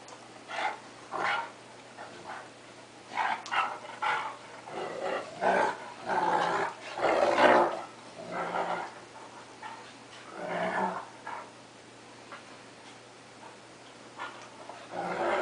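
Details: A cocker spaniel and a big 3/4 wolf, 1/4 Akita dog at play: scattered snarls, gruff growls and a few short barks in uneven bursts, with quieter gaps between flurries of rough play.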